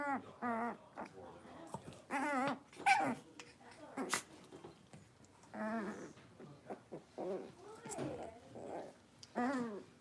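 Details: Cavalier King Charles Spaniel puppies, Blenheim-coloured littermates born at New Year's, at play in an indoor pen; wavering whimpers and squeaky yelps alternate with low play growls, and there are faint knocks in the small room.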